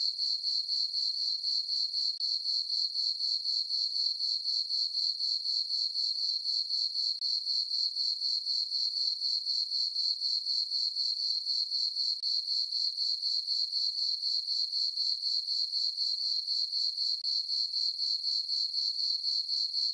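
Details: Summer-night crickets in a moonlit farm meadow keep up an even, shrill chirping, regular pulses roughly four each second, unbroken throughout and with no other voices.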